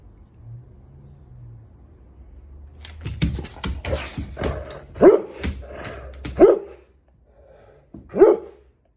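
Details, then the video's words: Appalachia, a chocolate Labrador Retriever, at home: about three seconds of quiet, then a busy stretch of snuffling and short noisy bursts, followed by three separate sharp barks spaced roughly 1.5 seconds apart. "The Chocolate Lab Diaries - Sneezes & barks"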